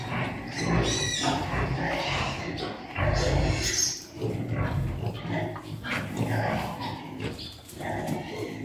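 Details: Farm pigs during mating: a sow in heat covered by a Piétrain boar. Low, rough grunting comes in bursts through the clip and is loudest around the third second, with a human voice and shuffling barn noise mixed in.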